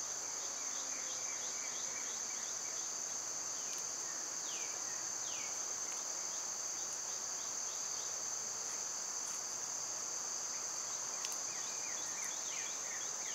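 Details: Summer insect chorus led by cicadas: one unbroken shrill buzzing tone runs throughout, with short descending bird whistles and faint ticking chirps scattered over it.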